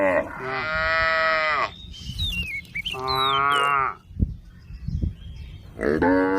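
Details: Tame cows on a road calling friends: a long steady harmonic moo, then a second bending moo after a pause with thin high chirps between, a few low thumps, and a third moo beginning at the end.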